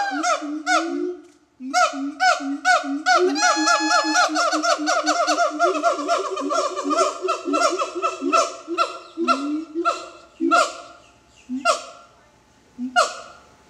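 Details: Siamang at a zoo, calling in a fast run of loud, hooting barks with a ringing tone. The notes come several per second, speed up into a dense burst in the middle, then slow and thin out toward the end.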